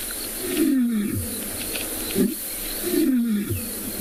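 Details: A male lion roars in deep, moaning grunts that slide downward and repeat every couple of seconds, on a warm day (34 degrees) at sunset, Tswalu Kalahari Reserve, South Africa.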